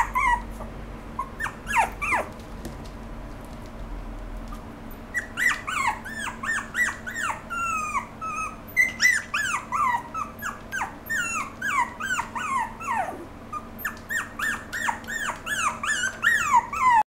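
A small poodle-Pomeranian mix whines in quick, high, sliding yips, several each second.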